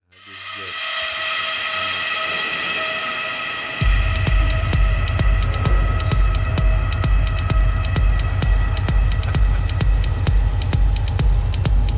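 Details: Electronic music with sustained tones, then a heavy throbbing beat kicking in after four seconds; no animal sounds.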